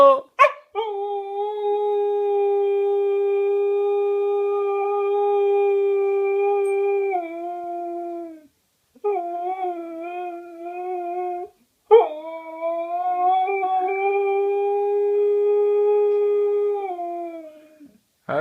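A Siberian Husky gives long, sustained howls that hold steady, then bend and waver in pitch.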